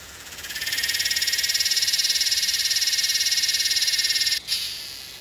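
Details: Yellowbelly cicada from Northern New South Wales, Australia, dated 8/12/20, producing one sustained, rapidly pulsing metallic buzz that ramps up within the first second, holds steady, then stops abruptly near the end.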